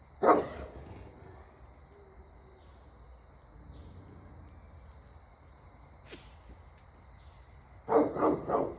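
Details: Great Pyrenees livestock guardian dog at Pygmy Harbor Farm in Knoxville, Tennessee, guarding Pygmy goats against owls. One sharp bark opens, then silence, then a quick burst of three or four barks near the end, over a steady high insect chorus.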